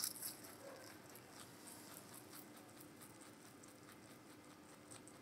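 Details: Giant rabbit named Meonji munching vegetables indoors, recorded close up as real-sound ASMR: soft, quiet crunching and wet chewing clicks, irregular bites spread across the recording, with faint steady room hiss underneath.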